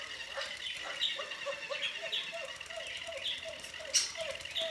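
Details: Puppies at play with a squirrel ball: a run of brief, thin, nasal whimpers and squeaks in quick succession, rising and falling slightly, with a faint voice and soft tapping in the background.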